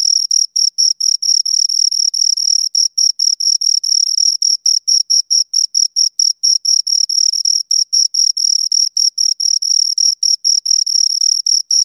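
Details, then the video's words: Two crickets stridulating in quick succession, short high shrill pulses running at a brisk, slightly uneven pace, some chirps overlapping as the two callers interleave, background otherwise silent. "Two Crickets Chirp Sounds"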